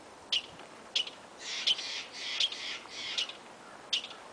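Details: Squirrel calling on the last day of a visit to Yosemite: sharp, high chips alternate with longer raspy, buzzy bursts, about six sounds in four seconds, with a quiet background.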